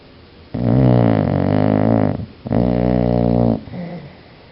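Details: Biscuit the dog snores in its sleep, two long rasping, rumbling breaths of about one and a half seconds each separated by a short pause, with a soft snuffle at the end.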